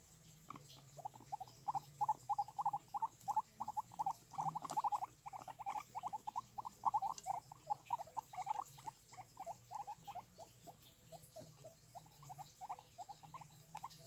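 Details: Guinea pigs give a quick run of short, squeaky mid-pitched chirps, several each second.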